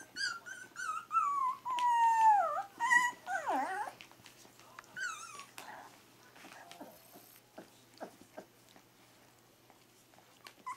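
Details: Three-week-old Pyrenean Shepherd (Berger des Pyrénées) puppies squeal with high, wavering whines that slide downward in pitch over the first four seconds. Quieter snuffles, soft clicks and shuffling follow, with one brief squeak near the end.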